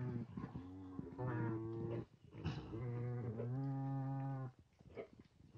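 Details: Nutria on a farm: an experienced young male introduced to eleven females, sitting by the food. Two long, steady, low moaning calls, each lasting over a second, with faint background clicks between them.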